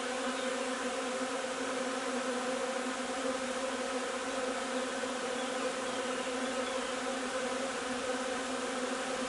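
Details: Honey bee colony foraging on linden nectar, 3 June: an even, many-layered buzzing drone that never breaks or changes pitch.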